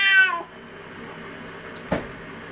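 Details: Angry domestic cat in a garden, upset by a magpie and another cat intruding on its space: one loud, short harmonic meow that drops in pitch, followed by near quiet and a single sharp click.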